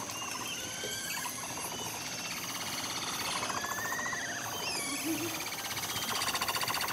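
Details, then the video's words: A herd of capybaras chatter in a fast, rattling purr of clicks, with a few thin whistles rising above, "singing" as they decide to go visit the male kept in a separate enclosure. "Amazing Sound of Capybaras Singing"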